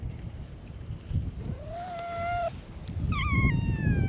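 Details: Free-roaming cats on a Japanese cat island welcome a visitor to their gathering: a drawn-out meow rising then holding steady, and after a brief pause a sharper, higher meow that dips, over low rumbling wind-like noise.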